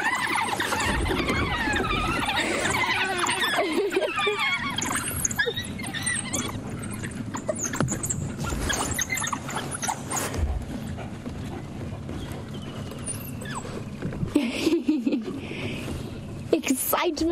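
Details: At sunrise on 19 January 2016 in the Sabi Sand, African wild dogs reuniting with their pack pour out a chorus of high, wavering, puppy-like whines and squeals of happy greeting excitement as they race around with tails up.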